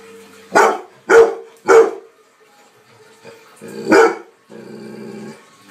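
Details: Labrador Retriever barking: three loud, deep barks about half a second apart, a pause, then a fourth bark followed by a brief growling rumble.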